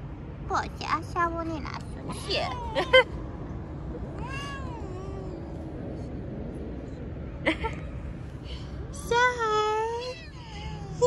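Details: Stray cat on a city street, petted while posing for a selfie, gives several short rising-and-falling meows spread across the recording, with low traffic-like rumble and human voices in the background.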